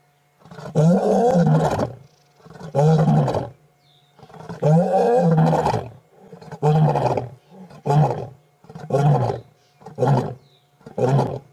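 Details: Wild adult male lion, one of a four-male coalition, roaring while lying beside a vehicle at sunset on 8 August 2016: long deep moaning roars, then a run of shorter grunts repeated about every second, with a constant low hum.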